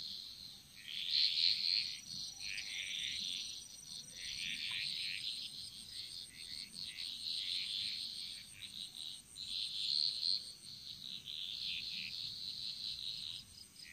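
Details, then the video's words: Frog chorus in a Bali jungle: dense overlapping bursts of raspy, high-pitched calls in surging waves, with a steady thin high whine running underneath throughout. "Frog Mantras - Relaxing Sounds Of Bali"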